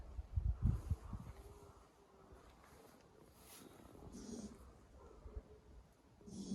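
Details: A foal sleeping soundly in the middle of its stall and snoring heavily, while its mother Ave Mama quietly watches from a corner. Several deep, rumbling snorts come close together at the start, then soft breathing follows.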